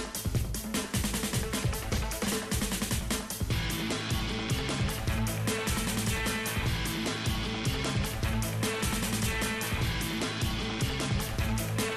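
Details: Energetic rock music with driving guitar and drums fills the whole recording, with no animal sound audible.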